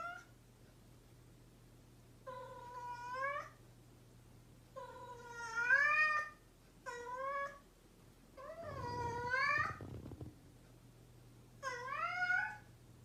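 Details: Mischievous domestic cat in a long run of meows, six wavering, bending calls spaced irregularly, one louder with a rough low rumble beneath, over a constant low background hum.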